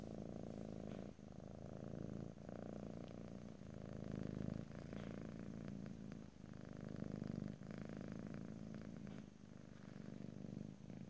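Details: Continuous low, pulsing purr from a cat captured in stereo ear to ear, rumbling evenly with soft rhythmic swells as the cat breathes in and out and faint small clicks throughout.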